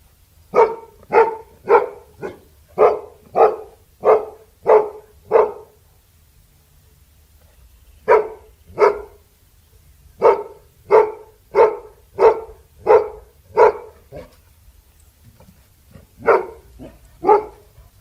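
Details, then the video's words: Labrador Retriever dog barking in rapid runs: eight quick barks in a row, a pause, then another long series of steady, evenly spaced barks and a final pair, with a faint low hum underneath. "LABRADOR LATINDO 🐕 LATIDO DE CACHORRO 🐕 SOM DE CACHORRO🐕 LABRADOR DOG BARKING"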